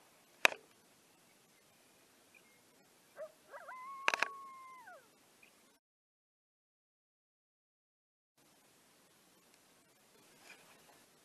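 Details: A coyote on the Montana prairie, one of several heard unusually close, gives a single short howl that rises, holds steady, then slides down.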